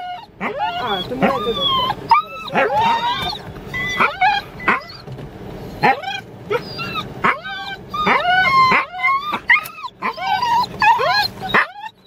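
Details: Wheaten Terrier vocalizing in rapid excited bursts of high whines and yips, some curving upward, packed closely with brief pauses, while a person speaks in Japanese in the background.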